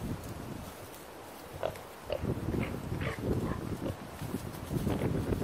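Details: Wild boar during a hunt in Naju, Korea: low rough grunting bursts, irregular and clustered, with rustling and outdoor noise between calls.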